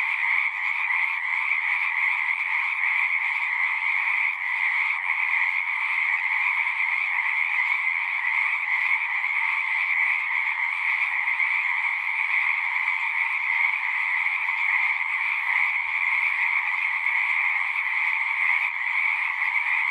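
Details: Frogs in chorus at a pond in a horse pasture, recorded on a Zoom recorder; a dense, steady trilling wall of many overlapping callers, bright and unbroken through the whole stretch with no pauses, no other sounds.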